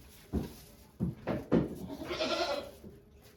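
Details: Goat Okayu in labour at Yoshigake farm, Japan, 3 May 2023, delivering two kids with volunteers present; three short bleats in quick succession followed by a longer, noisier vocal sound.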